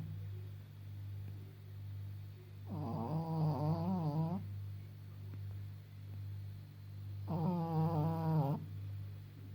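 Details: Fourteen-and-a-half-year-old Pekingese Maggie, blind and a little deaf, snoring loudly as she sleeps. Two drawn-out, gurgling snores about five seconds apart, over a steady low electrical hum.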